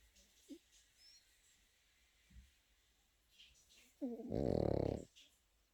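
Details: Pekingese puppy sleeping and snoring: faint soft breaths and small clicks, then one loud, gravelly, pulsing snore of about a second near the end.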